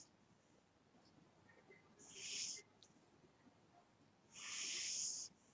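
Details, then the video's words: Two long, breathy snores from a sleeping house cat, separated by a couple of seconds of quiet. "My Snoring Cat"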